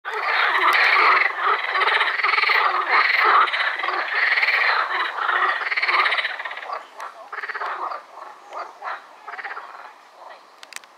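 A dense pond chorus of frogs, many voices croaking over one another in a rattling wall of sound.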